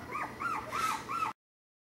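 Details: Puppies playing indoors in a busy part of a home during potty training; four short arched whimpering yelps, rising then falling, spaced about every third of a second, over a soft background hiss.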